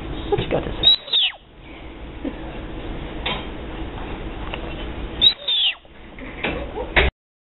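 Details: A male Florida panther kitten in rehab after a vehicle strike in Collier County, Florida, May 2012, gives two high, bird-like whistled chirps that sweep downward, about four seconds apart.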